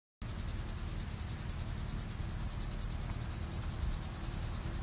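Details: Cicadas filling trees with a loud, shrill, high-pitched buzz that pulses steadily about three times a second, the trees humming with their sound, no other voices.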